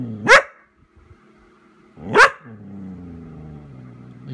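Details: Pet Vizsla Chica calling out while waiting for her owner, December 18, 2014: two abrupt barks nearly two seconds apart, each rising sharply, followed by a low drawn-out whimper trailing off in a quiet room.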